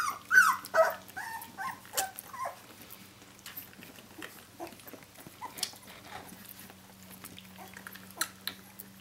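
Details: Seventeen-day-old puppies from the Jolly Joker litter crying for their mother Brenda: a burst of high, squealing whines that rise and fall, clustered in the first seconds, then sparser, softer squeaks over a steady low hum.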